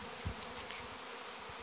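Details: Many honey bees in flight in front of hive entrances during the August orientation flight of young bees, 17 August 2019; a continuous, even swarm hum with one brief louder thud early on.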